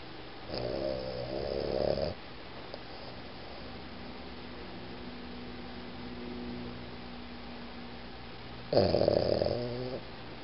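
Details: Boston Terrier named Iggy snoring indoors: two loud, rough, buzzy snores about a second and a half each, the first near the start and the second near the end, separated by quiet breathing and low room hum.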